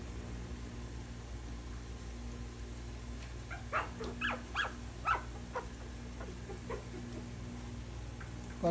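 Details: Poodle puppies trying milk for the first time indoors; a quick cluster of about six short, sharp yips and barks over roughly one and a half seconds, with Filipino speech nearby and a steady low hum.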